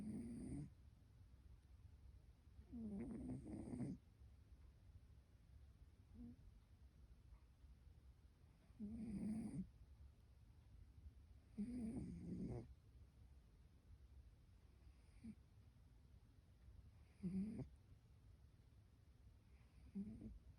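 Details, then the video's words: Rescue cat, female, snoring while asleep and seemingly dreaming; low rasping snores repeat about every three seconds, each a short breathy burst, over a quiet indoor background. "Cassie snores when she sleeps!"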